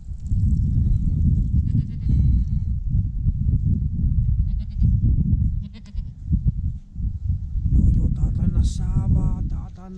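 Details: A newborn goat kid, the first of the year, bleats in short harmonic cries near two seconds and again around eight to nine seconds, over a heavy low rumble of wind or handling noise.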